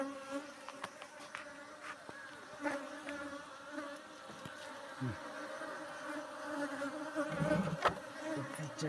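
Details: Honey bees being gathered into a box by a beekeeper, a steady low droning hum with a faint harmonic buzz running throughout, interrupted by scattered taps, knocks and people talking nearby.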